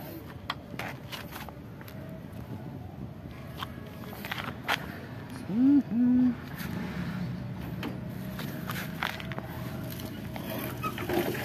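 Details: Old stray cat living at a pagoda, looking very hungry and asking for food with meows: two short, loud, arched meows close together midway, over a steady low hum of traffic and scattered faint footsteps and scrapes.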